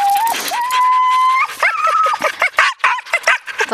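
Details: Siberian husky yearlings Haidi, Znoke and Myrull with six-year-old Ravn on a spring run in 2011: long steady howling tones that step upward, breaking into a burst of rapid, bouncing yips and whines, with a man talking in Norwegian.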